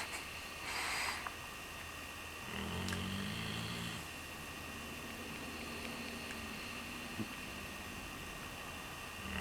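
A sleeping Redbone Coonhound snores in low, rumbling, buzzy breaths, with a faint steady hum behind.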